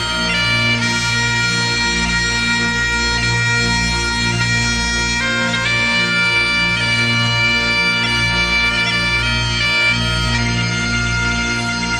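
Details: Steady bagpipe music with a droning bass and a melody of sustained reedy notes, and no animal voice anywhere.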